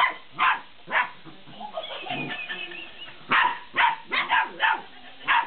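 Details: Belgian Malinois puppies, 50 days old, at play with a laughing cat toy: short yippy barks open and close the stretch, and a wavering, warbling toy-like sound fills the middle between them.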